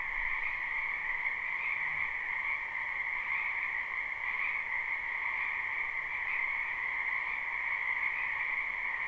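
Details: Many wild frogs calling in a spring wetland behind a house, recorded live: a dense, unbroken chorus of trilling croaks in two steady bands, a lower one and a brighter higher one, with gentle pulsing and no pauses.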